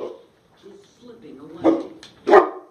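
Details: A 14-month-old female mastiff and a 4-year-old American Bulldog bark at their own reflection. Two loud, harsh barks come near the end after quieter low grumbling, while a woman speaks soothingly over them.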